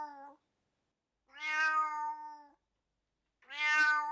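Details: Domestic cat giving two drawn-out, harmonic-rich meows about two seconds apart, each rising slightly then falling, with the tail of an earlier meow at the start; quiet background otherwise.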